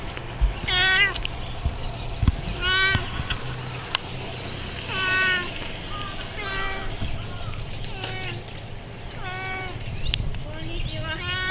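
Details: Chatty stray cat calling repeatedly while greeting someone: about eight short-to-medium meows spread evenly, some rising then falling, mixed with faint clicks and handling noises against a quiet outdoor hum.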